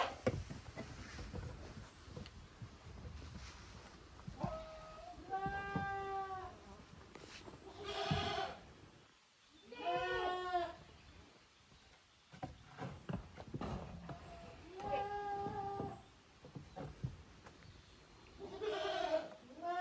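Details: Goat kids, Koharu's and Okayu's young, playing in the exercise yard of a handmade goat farm, June 2023; a few quavering bleats spaced apart amid scuffling, clicks and background hiss.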